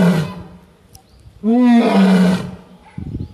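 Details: An Asiatic lion in Gir National Park, Gujarat, gives a deep, drawn-out roar that swells and then fades.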